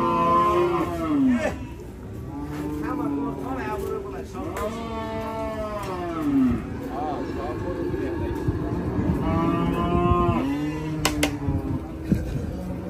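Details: Cattle being unloaded from a truck at Hazratpur cattle market, Bangladesh: several long, low moos rising then falling, overlapping one another, with crowd voices and vehicle noise in the background.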